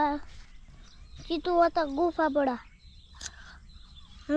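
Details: Billy goat (boka) in Nepal: a brief bleat, then a burst of five or six quavering, falling bleats in quick series, another short bleat at the end; quiet outdoor background with a faint click.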